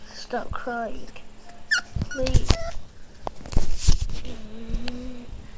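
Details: A Boston Terrier puppy named Kimball whimpers: a run of short, high, wavering whines early on, then a longer, steady whine near the end, with a person talking over part of it.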